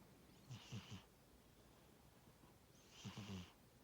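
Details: Sleeping pet cat named Tora snores, giving two raspy, fluttering breaths about two and a half seconds apart, each mixing a low vibrating growl with an airy hiss, in a quiet indoor setting.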